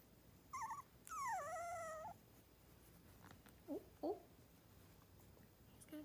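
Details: A three-week-old miniature schnauzer puppy near Radisson, Saskatchewan: a short whimper, then a long drawn-out whine that falls and levels off, followed by two quick yelps and faint rustling.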